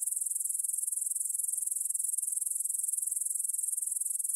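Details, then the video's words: Grasshoppers stridulating in a field near the Svensky monastery, Bryansk, Russia, at 9pm on 6 September 2020, recorded in stereo on a Tascam DR-44WL: a dense, high-pitched, rapidly pulsing shimmer that holds steady throughout, with no other sounds. "кузнечики на лугу – Grasshopper Sounds in the Field"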